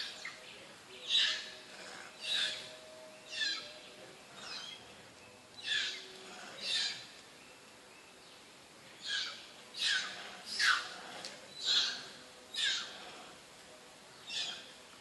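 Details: Monkey from the troop of mother monkey Alika and Papa Kang Kep, uttering a long run of sharp, piercing squeaks about once a second, some clustered closer together, with faint steady background hiss.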